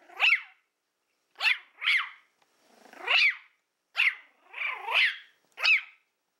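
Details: Playing with a pig's ear, Willow, a female Toy Fox Terrier born in April 2012, gives a quick run of high, shrill yapping barks, some doubled or drawn into whiny yelps, roughly one every second, in a quiet room.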